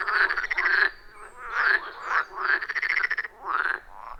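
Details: Frogs calling from a forest pond, recorded on iPhone 14 Pro with Shure MV88+; short rattling, pulsed croaks come in bursts of under a second, with quick stuttering notes between, loud and clear against a quiet background.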